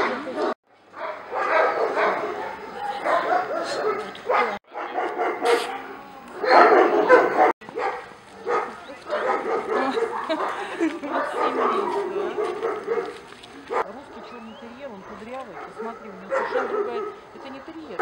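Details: Many dogs barking from the enclosures of a Russian military service-dog breeding and training centre that keeps Moscow watchdogs, Russian black terriers and puppies; dense, overlapping barks come in loud bursts with brief pauses, while a person talks nearby.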